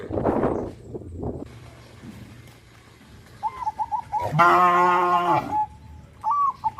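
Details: Gentle rural cattle walking to a green grazing field in the morning: one loud, steady moo lasting over a second, preceded by scattered low murmurs and surrounded by bright twittering bird notes.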